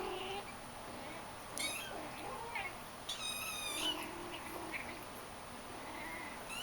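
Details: Shaded golden Persian kittens with their mother indoors, both wanting out into the living room, give several high rising meows, one longer harmonic cry in the middle, while a woman speaks over them.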